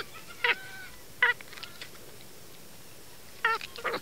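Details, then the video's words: Short, nasal squeaks from a small male monkey eating corn by a fence. Two single calls come early and a rapid cluster of three or four follows near the end, with soft rustling between. "Cute monkey sounds while eating corn"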